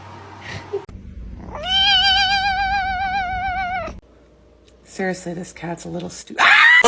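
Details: House cat holding a steady, slightly quavering yowl for over two seconds, after a quiet start; brief chattering sounds and a loud burst of noise follow at the end.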